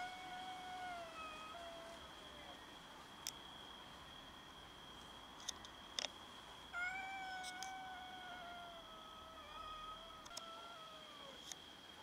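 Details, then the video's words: Domestic cats meowing while fighting each other over food: a series of drawn-out, wavering meows, some slurring downward, several in quick succession around the middle, with a few sharp clicks and a steady high-pitched whine in the background. "Cats meow and fight each other over food"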